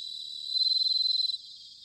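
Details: Bell cricket in autumn at Sanuki, Chiba, Japan, recorded on a ZOOM H6 or TASCAM DR-05X: a clear high ringing burst of rapid pulses lasting about a second, then fading back into a quieter insect chorus.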